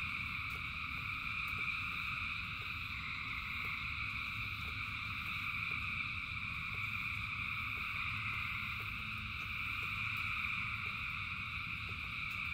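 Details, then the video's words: Thousands of frogs singing in the rain: a dense, unbroken chorus of shrill, steady trilling in several stacked pitch layers, over a low rumble of rainfall with faint irregular ticks. "Frogs in Rain 2 Hours of Frogs, Thousands of Frogs Singing"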